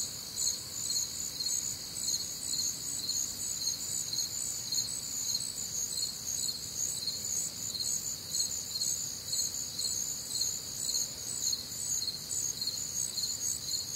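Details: Crickets calling through a warm Midwestern summer night, layered high trills with rhythmic chirp pulses roughly twice each second, unbroken for the whole stretch, soft low background hiss.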